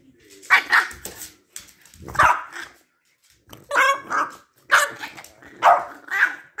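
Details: Two Boston Terriers argue with each other, squabbling with short, throaty barks and grumbling growls in uneven bursts.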